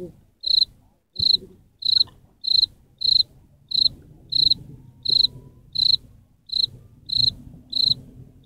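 A cricket chirps in short, high trilled bursts about every two-thirds of a second.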